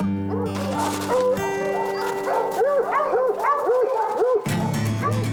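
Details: Tracking dogs in the snowy Rocky Mountains, trailing a mountain lion, give short, sharp, frantic, rising-and-falling bays about twice a second, tree barking that signals a cat treed, though possibly the wrong tree; music plays underneath.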